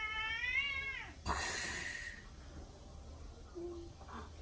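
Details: Pet cat indoors gives one falling, richly harmonic meow lasting about a second, followed by a short burst of broadband rustling and steady low room hum.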